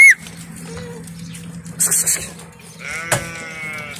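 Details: A herd of sixty Bishi goats and thirty kids near the coast north of Al Qunfudhah. A single high, drawn-out bleat rises near the end over a low steady hum, with brief rustling before it.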